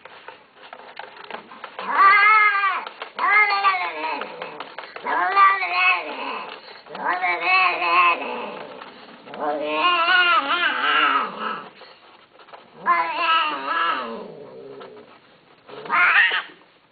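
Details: Domestic cat meowing repeatedly: six drawn-out, arching meows, each rising then sliding down, spaced about two seconds apart with short quiet gaps. The last one is cut short.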